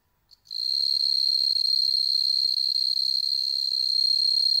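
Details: Bell crickets bred in captivity from shop-bought stock in Hokkaido, Japan, kept indoors with cats looking on; after a brief click, a shrill, pure ringing chirr begins and holds unbroken, finely pulsed, to the end.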